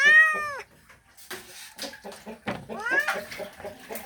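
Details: Male domestic cat calling a female as a mating call: a loud, arching meow at the start, then scattered clicks and knocks, and another rising-then-falling yowl near the three-second mark.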